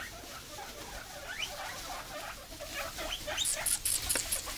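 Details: Guinea pigs getting a snack of cucumber pieces give rapid, rising squeaks that climb into shrill, piercing wheeks, as they always do at feeding.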